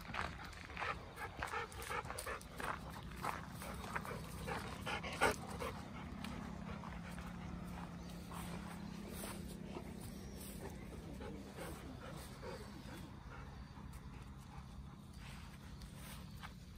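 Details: Two Golden Retrievers panting on a short afternoon walk on a humid October day, outdoors in the countryside near an irrigation canal: quick, breathy, somewhat irregular puffs, roughly 160 a minute, over a steady low hum and light outdoor rustling.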